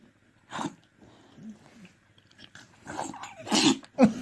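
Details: Dog sneezing: sharp, noisy bursts, one early and two close together near the end, with quieter snuffling between and people talking in Spanish in the background.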